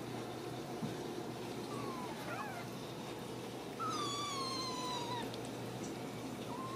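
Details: Ragdoll kittens raised uncaged in a home cattery in central Kansas. A short wavering mew comes first, then a long, strong meow that falls gently over about a second, and another call begins at the end, over a faint background hum.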